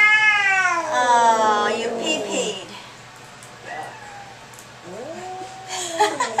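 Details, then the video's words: Furious cat on a vet's examination table: one long, sliding, strained yowl at the start, a quieter pause, then a shorter falling moan, with faint speech in a small room. "Angry cat at vets"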